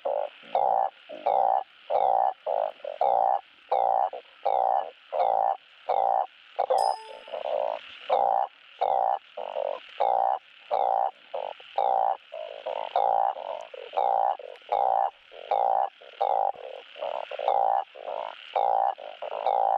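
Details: Long run of balloon frog mating calls, used to stimulate breeding: steady, evenly spaced croaks roughly every half second from a calling group, one brief metallic clink early on, otherwise only frogs.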